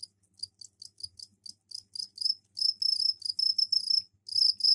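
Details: Captive crickets kept indoors in a container, just given a container of soil for laying eggs, giving mating calls: high, shrill chirping pulses in quick bursts, sparse at first and then building into longer, denser runs of trilling.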